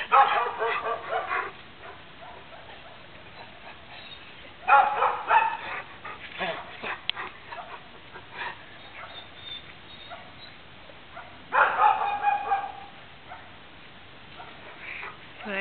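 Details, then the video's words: A neighbour's dog keeps barking through the morning: clusters of rough, rapid barks near the start, middle and end, with quieter scattered barks and a person's voice between them. "Annoying (neighbor's) dog barks"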